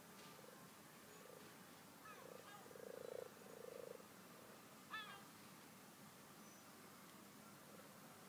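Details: Frogs, twelve in all, in a rustic garden pond: a few short, low, buzzy croaks in quick succession, each under a second, then a sharp higher click-like note, over a quiet hiss of background.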